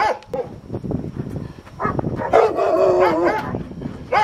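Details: Rottweiler in protection training, first time biting a sleeve; after scattered low thumps and short sounds, a drawn-out, strained, harsh bark-growl rises in the middle of the recording, ending with one more sharp bark.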